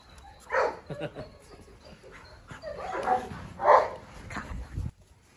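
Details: Dogs: a Presa Canario female seeking revenge on a Rottweiler while a Staffordshire joins the mischief, three dogs in all. Deep, gruff barks and growly yelps come in bursts near the start and again around three to four seconds.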